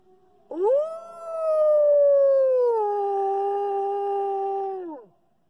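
A wolf gives a single long, smooth howl that swoops up, holds, then slides down.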